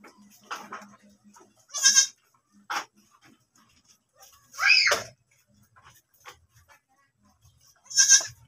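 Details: Domestic goat that has once more given birth: three separate bleats spaced a few seconds apart, the middle one rising and quavering, the last sharp and harmonic, with quiet pauses between.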